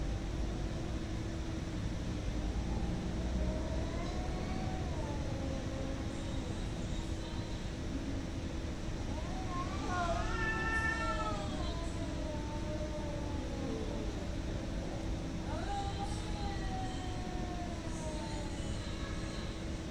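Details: Fighting cats heard through heavy low rumbling noise, with sliding, wavering yowls, the strongest a rising then falling wail near the middle, followed by fainter drawn-out howls.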